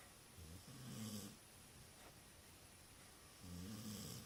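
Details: Phone recording of a dog snoring: two low, grumbling, rasping breaths about three seconds apart, with a quiet hiss between them and a faint constant hum.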